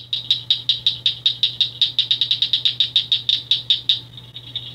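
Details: Cricket frog calling on Pelee Island, Ontario, where it is one of the province's rarest calls, heard May into July; sharp high clicks repeated rapidly, about two to three per second, in a steady run with a faint low hum beneath.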